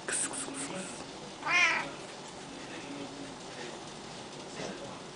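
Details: Zimba the pet cat in the kitchen: a single clear drawn-out meow near the middle, with light clinks and household rustle before it and a faint second call at the end.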